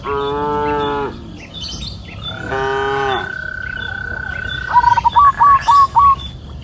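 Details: Afternoon on a green hillside pasture with grazing cows: a full moo, then a second shorter one, followed by a rapid run of bright bird chirps at the end.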